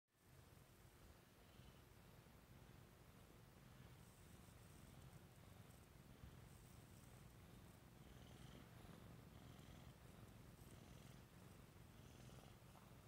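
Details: Burmese cat purring while sleeping: a steady low rumbling purr fills the whole stretch, continuous and even, with soft breathy hiss above and faint rustling indoors.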